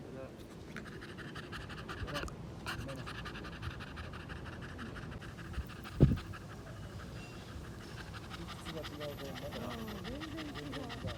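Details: Beagle named Satsuki at a dog park on a morning too hot to run around, panting steadily throughout, with a woman speaking Japanese and a faint background tone.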